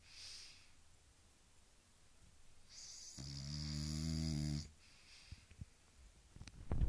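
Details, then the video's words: Sleeping, dreaming French Bulldog giving a drawn-out tonal groan-snore of about a second and a half, set between softer breathing and snuffly noises in a small quiet room. "Französische Bulldogge schläft und Träumt"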